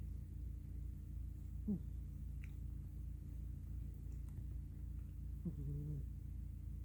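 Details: Black female cat Miss Tinker Kitty asleep indoors on a pillow, worn out after a day of play; two low, droning snores about four seconds apart over a steady quiet room hum.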